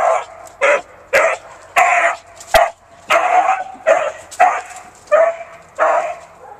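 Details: Romeo Scott, a pet Beagle, bays in his natural breed manner: eight harsh, drawn-out, throaty howl-barks fired off roughly every three-quarters of a second, loud and insistent, with a quiet indoor background between bursts.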